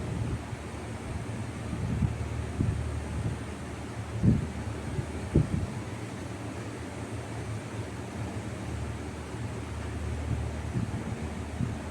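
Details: Steady rumbling wind noise with a few soft thumps, and no animal sound audible.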